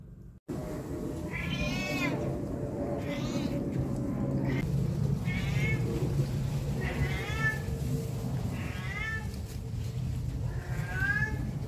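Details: A domestic cat, said to meow every time people are around, repeats short wavering meows roughly every one to two seconds over a constant low rumble of background noise.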